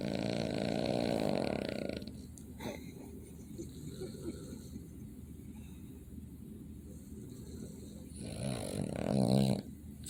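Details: A Boston Terrier snores with low, rasping, rumbling breaths that swell loudest at the start and end.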